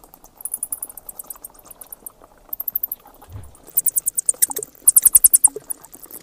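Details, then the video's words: High-pitched bat chatter arriving in quick trains of sharp squeaks, sparse at first and then denser toward the end, with a faint low thump midway. "เสียงค้างคาว Bat sounds"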